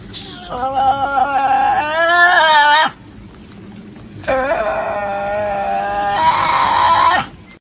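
A Tasmanian devil gives two long, harsh, wavering screeches, each about two to three seconds, rising and growling at the end, separated by a brief pause.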